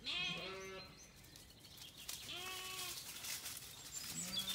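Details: At nightfall on a Kilkenny farm in Ireland, a Zwartbles lamb calls and a ewe replies after feeding. Close, loud bleats with strong harmonics open and recur twice, the second long and level, against a hissy background.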